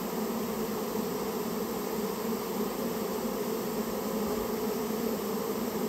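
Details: Dense, unbroken buzzing of a Japanese honey bee colony nesting in a storehouse and being removed; a loud, even hum from many bees with no other clear sounds.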